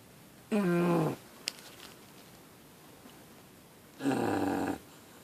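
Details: An English Bulldog puppy snores in its sleep; two loud, droning, tonal snores about three seconds apart, the first falling slightly in pitch, with a faint click between.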